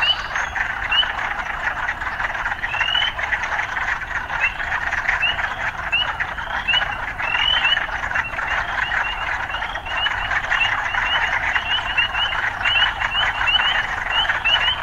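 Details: Frogs in an urban setting form a continuous droning chorus, with short rising chirps popping out again and again, several per second at times.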